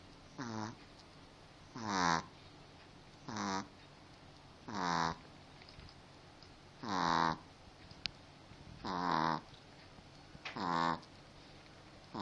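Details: A pet dog snoring, with drawn-out rasping breaths repeated about every one and a half to two seconds, each swelling then fading, quiet between breaths.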